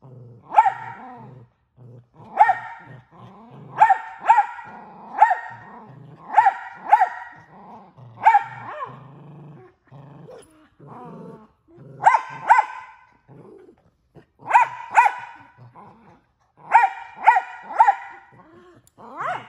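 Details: A male Miniature Australian Shepherd, which barks more than once a second, lets out a steady run of loud, sharp barks in quick singles and pairs, a low rumbling growl underneath between some barks.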